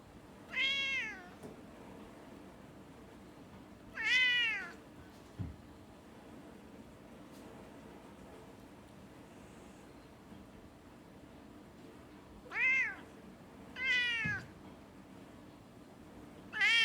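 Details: Domestic cats suddenly fighting while onlookers watch, recorded 16 December 2020: five short, harmonic, arching yowls come at about 0.8, 4.2, 12.8, 14 and 16.7 seconds over a quiet indoor background with a steady low hum.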